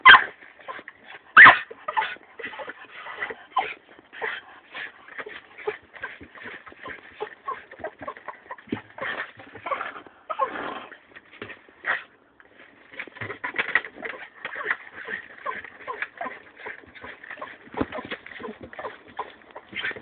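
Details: Jagdterrier giving rapid, high-pitched whimpers and short yips, packed into busy bursts of about 45 per minute, with a louder sharp yelp near the start and a brief quiet gap around twelve seconds.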